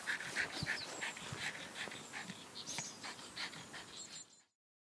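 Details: Jack Russell Terrier at play with a soccer ball, panting quickly in soft airy puffs, mixed with brief high-pitched whimpers and a few sharp clicks before the sound fades out near the end.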